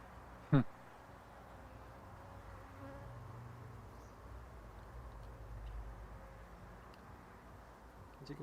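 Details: Honey bees during a hive inspection in which frames are cut out and varroa mites are found: a faint, steady low hum runs throughout, with one sharp knock near the start and quiet speech in Polish.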